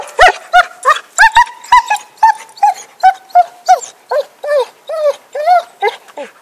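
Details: Happy the dog, with a stick in 2012, barks in a fast, steady run of high, ringing yips, about three per second, sustained for over six seconds.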